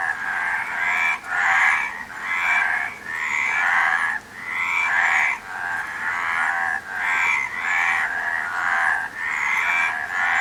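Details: A frog chorus of raspy, throbbing croaks comes in roughly eight bouts of similar length, each cut off by a brief pause, with a steady mid-pitched buzz throughout.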